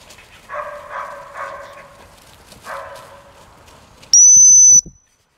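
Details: English springer spaniel barking in two short volleys of a few harmonic barks each, followed by a single loud, piercing steady whistle before silence.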